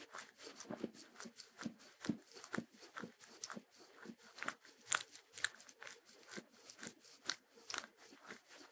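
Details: A Sheltie dog, or Shetland Sheepdog, munches on crunchy food. Rapid, sharp crackling bites and tearing sounds run continuously, with a few louder snaps. No music plays.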